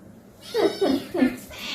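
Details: Pet cats being played with indoors at home: three short, clear meows in quick succession, each with a bent, falling tone and rich harmonics, spaced about a third of a second apart, over a low background hum.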